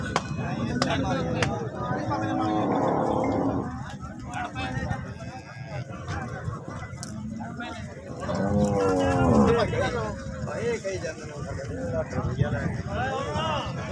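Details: Holstein Friesian cow offered for sale, stated to give 30 litres of milk; drawn-out low moos rise and fall with harmonics, around three seconds and again near nine seconds, over background music and farmyard noise.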